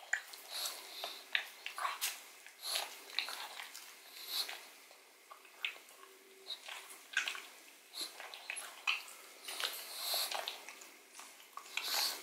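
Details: Indoor ASMR recording of Odin the pug chewing a bone full of marrow: continuous irregular crunching, smacking and clicking, many short sharp bites spread across twelve seconds with quiet gaps.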